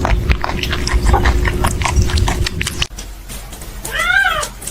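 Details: Crying kitten giving one clear, arched, drawn-out meow near the end, after about three seconds of loud rumbling, crackling background noise.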